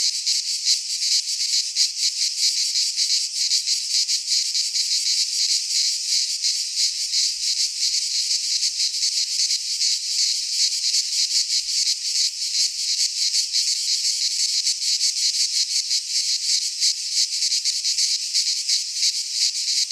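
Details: Cicadas singing in midsummer in a Greek pine forest: a dense, continuous high-pitched buzzing chorus held at steady loudness throughout, faint shimmering pulses within, no other sounds.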